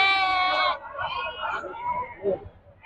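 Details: Sheep at a livestock market in Nandigama on 28 June 2025: one strained, harmonic bleat lasts under a second, then people's voices talk over low market noise.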